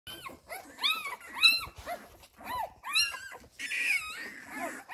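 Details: Labrador Retriever puppies of a litter nursing from their mother: rapid overlapping high whimpers and squeaky yips, short arched tones rising and falling, several pups calling at once.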